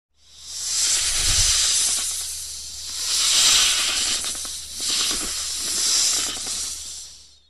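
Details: Baby monocled cobra rescued at Parui Para, Budge Budge, near Kolkata, West Bengal, hissing in long breathy bursts, several drawn-out hisses rising and fading over a few seconds, with a low steady hum underneath.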